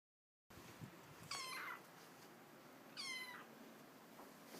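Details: A male Russian Blue kitten named Fran, on his first day at a new home after settling down: two short, high, slightly falling meows about a second and a half apart, over a steady indoor hiss.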